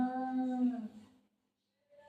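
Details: Shih Tzu dog at home, playing with its owner: a drawn-out harmonic whine or howl held steady for about a second before trailing off, followed by brief quiet and a faint tone.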